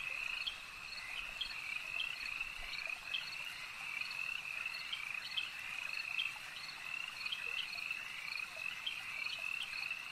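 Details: Lake frog chorus, unbroken and shrill, with a bright sustained trilling band and quick clicking pulses repeating several times a second throughout, steady in loudness.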